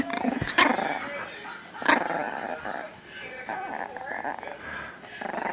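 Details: Small female pet Chihuahua at home, growling at her owner during a nightly toy game, daring him to grab the dropped toy; rough, rumbling growl with a few sharp snaps and clicks, a man's voice faintly in the background.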